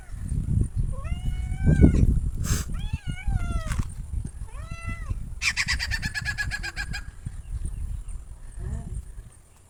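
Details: Cats in a mixed compilation of kittens and playful pets: several short, rising-then-falling meows in the first four seconds, then a harsh buzzy, rasping cry near six seconds, over a steady low rumble.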